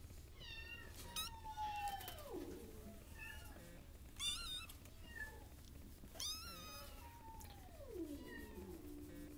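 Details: Cat meowing indoors: several drawn-out meows with falling pitch, some short higher chirping mews in between, over a steady low hum.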